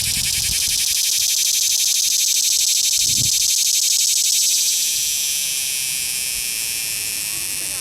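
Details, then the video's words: Captured cicada at Longwood Gardens in Pennsylvania rubbing its wings while wagging its tail, producing a steady rasping, high buzz of rapid pulses that softens slightly toward the end; brief low thumps of handling early on. "The Cicada"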